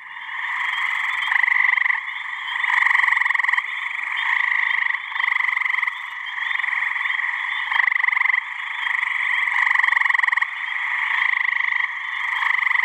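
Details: Male gray treefrogs (Hyla versicolor) give loud, musical pulsed trills overlapping into a deafening breeding chorus to attract mates, on a warm mid-May spring evening in a New Hampshire pond/swamp.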